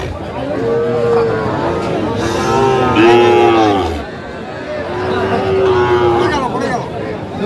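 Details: Sahiwal bull calves at a cattle market in Mymensingh, Bangladesh, on 19 April 2025, lowing in drawn-out, slightly arching moos spread through the clip, with men talking and bargaining close by.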